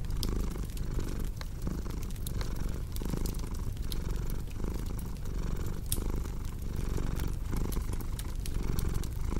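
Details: Cat purring in an ASMR mix for sleep and relaxation: a steady low rumble that swells and fades in breath cycles under sharp, frequent crackles from a fireplace.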